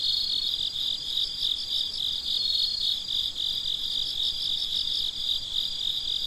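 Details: Crickets at midnight, a dense chorus of high, pulsing chirps running without pause, beats blurring into a shimmering trill over faint low background hiss.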